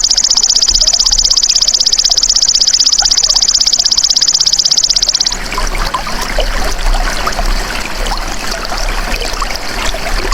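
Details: Golden grasshopper, natural sound kept for tutoring cage birds: a steady, shrill, fast-pulsed buzzing trill for about five seconds. It stops abruptly, leaving a wash of trickling, water-like background noise.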